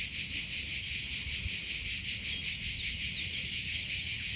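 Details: Cricket giving a constant piercing high trill with loosely regular pulsing, roughly two to three beats a second, steady volume, and a quiet low rumble in the background.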